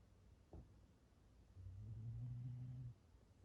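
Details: Black Shiba Inu named Gon-chan asleep indoors on 9 May 2020, giving one long, low, steady buzzing snore of just over a second after a brief click, otherwise a quiet room.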